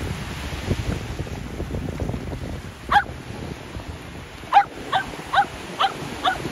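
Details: Shetland Sheepdog at the seaside during ball play with an air shooter: one bark, a pause, then a run of four or five quick yapping barks about half a second apart, with wind and waves beneath.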